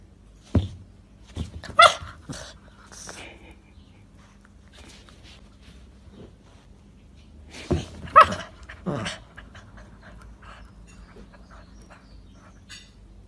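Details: Pomchi, a Pomeranian Chihuahua mix dog, giving short, sharp, yappy barks in two bursts, a few near the start and a cluster around eight seconds, separated by quiet gaps with faint background noise.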